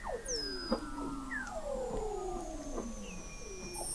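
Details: Chorus of Weddell seals beneath Southern Ocean sea ice at McMurdo Sound, Antarctica, November 2017, from an observatory 21 m under the ice: many overlapping downward-gliding whistles and high thin tones crisscross, with soft ticking clicks between.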